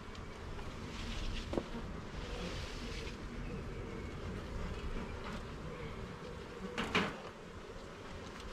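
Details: Honey bees droning around a garden hive as its frames are checked; a steady buzz overlaid with a couple of scraping, rustling handling noises.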